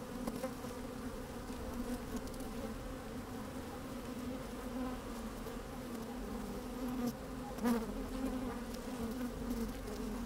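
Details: Honey bees busy at work inside an opened hive on a fine, sunny day, microphone slid down into the hive; a steady low droning hum with layered tones, a brief louder buzz near the eighth second, and occasional small knocks and rustles.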